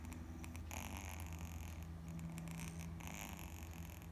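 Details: Kitten sleeping on its back, snoring steadily: a soft, continuous low rumble with faint rustles and clicks drifting over it.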